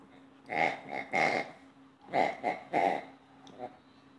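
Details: Playful female Old English Sheepdog, two years old, producing five or six gruff, voiced grunts in quick succession, each lasting about a quarter second, with a softer final huff near the end.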